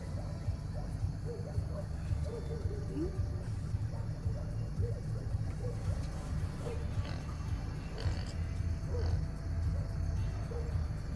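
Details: Wild boar seen at night in Batu Pahat, Johor, Malaysia, giving deep, rumbling grunts in a steady, uneven stream under a low background hum.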